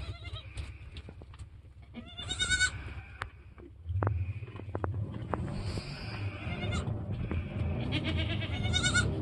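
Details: Goats on a homestead just after a doe gave birth to two kids, a doeling and a buckling, in their first hour or two; short harmonic bleats come in two bursts, early and near the end, over steady low rumbling background noise.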